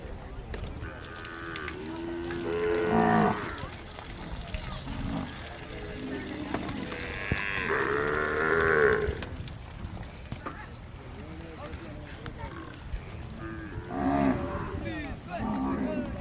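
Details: A Kankrej cow (Bos indicus), a desi breed from Rajasthan, lows in long, deep moos with rich harmonics, repeating every few seconds.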